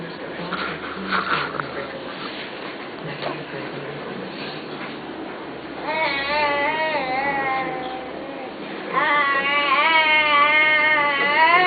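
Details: Wolf vocalizing after a stretch of human talk and background hiss: two sustained, wavering tonal howls follow, the second louder and rising then undulating, each lasting a couple of seconds.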